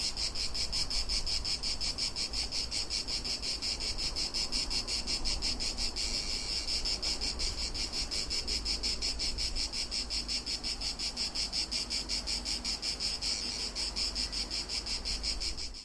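Cicadas give a steady, high, shimmering buzz made of rapid pulses, unbroken throughout.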